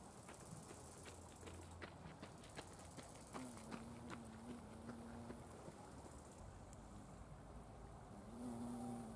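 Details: Wild violet carpenter bee among Buddleia, brown knapweed and sweet pea flowers, wingbeats at natural speed: a low, steady droning buzz for nearly two seconds mid-clip and again briefly at the end, over constant hiss and scattered sharp clicks.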